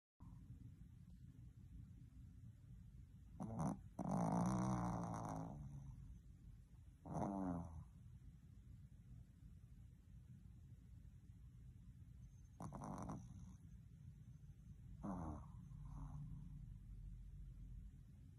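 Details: A Boston Terrier that isn't ready to wake up gives drawn-out, throaty, growling grumbles lasting a second or two each. The grumbles come irregularly, several seconds apart, over soft breathing in a quiet room.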